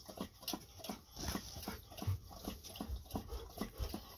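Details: Two Golden Retrievers, Ibuki and Kohaku, drinking plenty of water after a walk: crisp, regular tongue laps, roughly four or five per second, each a short wet splash, steady throughout.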